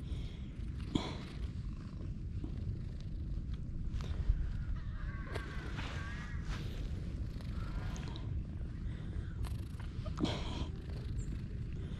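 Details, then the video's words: Steady low purr from a stray she-cat under petting, rumbling evenly for the full span, with occasional light handling noises and faint voices. "A stray cat with silent meows but loud purrs"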